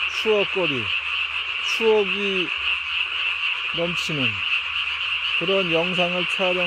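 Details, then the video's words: Japanese tree frog at night, 3 May 2020, calling through a chin sac inflated to the size of its body; high dense croaking continues while several short groups of lower, drooping tonal notes break in repeatedly. "밤에 우는 청개구리 울음판이 몸통 만큼 크네요?"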